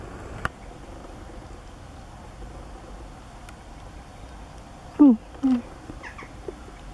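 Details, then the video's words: Nook, a Siberian Husky, noisily telling off the owner who brought cake in spring. Two short whiny yelps fall in pitch about half a second apart near the end. Quiet background otherwise, with a faint knock early on. "still gets TOLD OFF by NOISY Husky"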